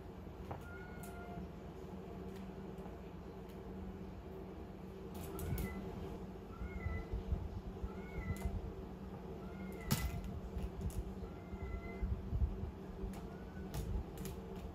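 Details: Calico kitten batting a small ball utters a series of about nine quick high mews, some rising then falling, amid knocks, thumps and clicks of play and a continuous low hum.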